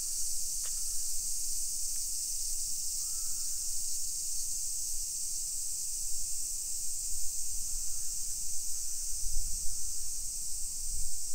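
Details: Cicadas singing in summer around suburban streets of Nisshin, Aichi Prefecture, Japan, early afternoon, 28 July 2021; a continuous shrill drone holds throughout while footsteps and low rumbling grow toward the end, with a couple of faint distant chirps.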